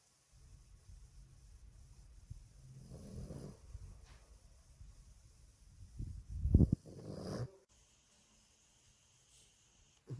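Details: A Boston Terrier asleep in its owner's arms snores: a soft low rumbling breath near three seconds, then a louder, rougher snort-like snore around six to seven seconds, followed by quiet.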